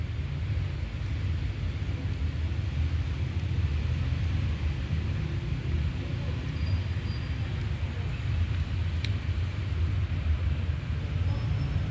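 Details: Heavy low vehicle rumble and roadway noise throughout, with a brief faint click near the end and no animal voices.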